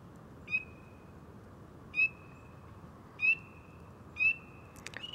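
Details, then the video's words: Frog crawling on small branches, calling loudly: four sharp upward-sweeping chirps, each trailing into a steady high whistle, spaced roughly a second apart over a quiet background, with a brief rustle at the end. "Frog close-up ASMR"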